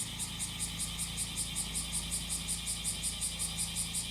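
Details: Cicada singing alongside a running engine: high, shrill buzzing pulses repeating about five times a second, carried over a steady low mechanical drone from the motor.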